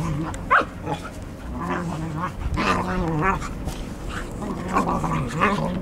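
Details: Pair of English Cocker Spaniels at play, August 2014, trading rumbling growls that rise and fall unevenly, broken by a few higher yips and snappy barks, with faint background hum.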